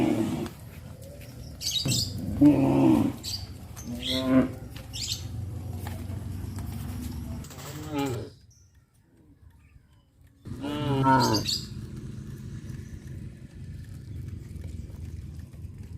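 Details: Cows from a traditional village farm walking past fish ponds to the grazing fields; several rough, harmonic moos in the first half, a quiet pause, then one more long moo over low background noise.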